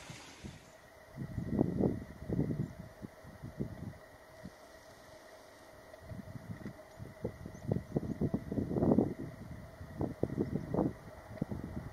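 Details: Irregular bursts of low wind rumble batter the microphone, fading and returning over a faint steady hum. No animal call stands out.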